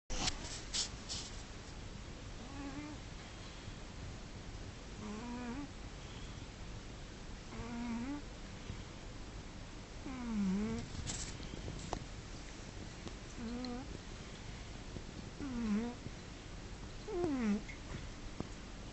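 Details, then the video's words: Domestic cat snoring while asleep: squeaky, whistling, slightly rising nasal tones come with each breath, roughly every two and a half seconds, over a steady low breathy rumble. "My Cat Kimba Snoring!"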